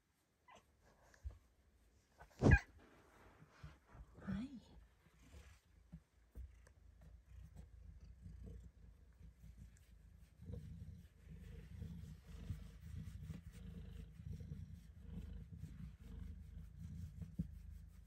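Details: Pet cat purring while getting belly rubs in her favorite cramped hiding spot; after a few sharp handling noises and rustles early on, a steady low rumbling purr builds and continues through the second half.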